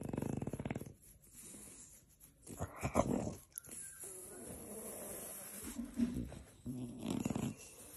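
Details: French Bulldog grumbling during cuddle time while being scratched: low, rough vibrating grumbles in bursts, a strong one at the start and another near the end, with quieter rustling and handling noise between.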